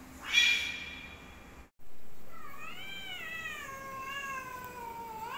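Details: A black cat squaring up to fight a white cat: after a short loud burst and a brief gap, a long drawn-out wavering yowl with rich harmonics swells and dips, sliding slowly downward toward the end.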